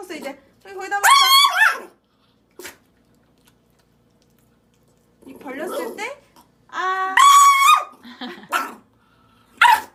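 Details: Pet dog that bites and barks, held while being fed bitter medicine through a syringe; two loud, harmonic yelping whines separated by a quiet pause, ending with short sharp yelps, while a person speaks softly nearby.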